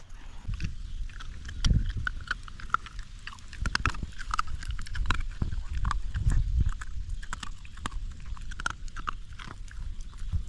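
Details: Young hungry dog gnawing its food, recorded very close: loud crackling teeth and dense irregular crunches with sharp clicks, heavy low thumps throughout, a few louder bites near two and seven seconds.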